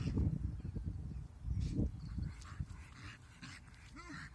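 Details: Pet dog, a female, vocalising at a huge stick she is playing with in low light; deep, rough growling bursts at first, then quieter grumbles ending in a short bent whine.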